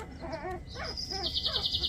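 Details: Twenty-three-day-old puppies, lively and active: a thin, high-pitched squeal rises and is then held steady for about a second, over a man's low talking.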